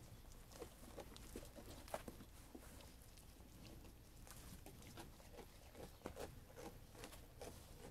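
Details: Sheep eating, with soft pattering crunches and occasional sharper bites scattered through a low, even background hum.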